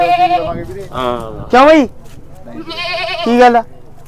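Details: Several goats being sold at a goat market bleat in short quavering cries, one loud bleat falling in pitch and another higher and longer, with men's voices chattering throughout.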